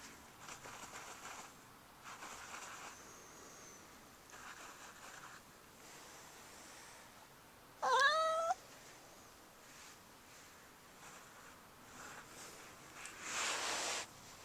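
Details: Ragdoll cat giving one short, drawn-out meow that rises then bends downward, standing out from a quiet room with faint hiss and soft rustling before and after.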